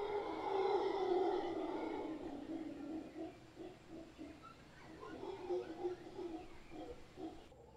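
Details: Howler monkeys, a large troop occupying a tree in Guanacaste, roar in a thick rasping chorus that breaks after two seconds into shorter pulsed grunts repeated several times a second, gradually softening.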